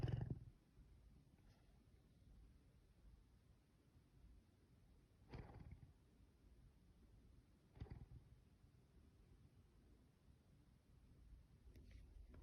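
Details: Luna, a captive pet leopard cub, makes low, deep breathy grumbles or snores: a burst at the start, then single rumbling pulses around five and eight seconds, with quiet room hiss between them.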